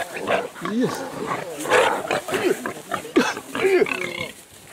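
A wild boar gives strained, rising and falling squeals mixed with rough grunts, with a human voice nearby.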